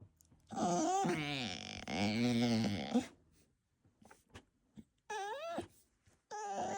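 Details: Bulldog puppy indoors in a small room making noises: long wavering whining and moaning vocalizations for about two and a half seconds, then short rising-falling whines after a pause, with faint clicks between.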